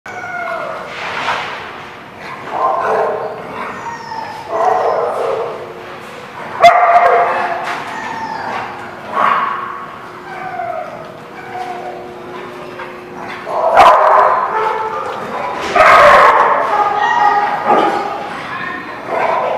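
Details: Dogs barking, recorded on 14 November 2016: loud, harmonic barks and yips repeat roughly every two seconds, with overlapping voices suggesting several dogs, plus whimpers between bursts.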